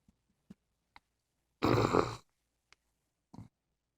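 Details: Libby, a female English Bulldog lying comfortably on her back in bed, gives one loud, rough, rasping snore lasting about half a second, framed by a few soft clicks and quiet breaths in a small room.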